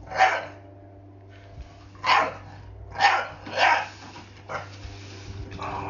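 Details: Frightened of a broom, a pet blue Staffordshire Bull Terrier barks at it: five gruff barks, the first alone, then a quick sequence of three, and a weaker fifth, over a low steady hum.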